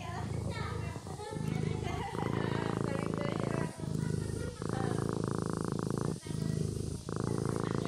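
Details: Kitten purring in its sleep, a low continuous vibrating rumble in even breath-length bouts separated by short dips, with some faint overlaid voice-like tones near the start.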